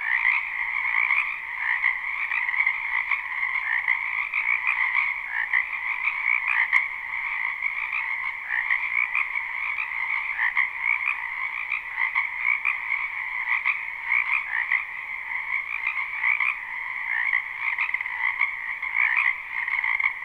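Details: Many frogs croaking in a spring wetland behind a house, recorded live without looping; a dense, unbroken chorus of rapid pulsed croaks forms two steady mid-high bands for the whole stretch, with no other clear sounds.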